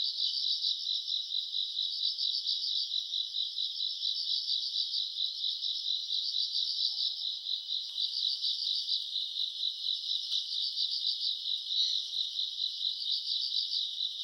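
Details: Grass insects on a summer night, recorded around August: a dense, high-pitched chorus of rapid chirping pulses that swells and fades in short bursts over a steady shimmering trill, with no other clear sounds.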